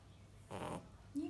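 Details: A female puppy, said to snore like her mother, gives one short breathy, rasping snore, followed by a woman speaking softly in Russian.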